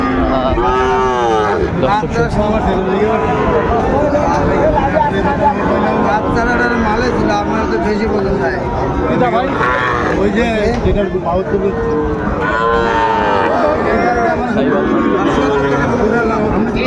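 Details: Sahiwal breed bull calves for sale at a market in Chattogram, Bangladesh, 26 September 2024, low bellowing moos bursting out at intervals among steady crowd noise, men talking and faint passing vehicles.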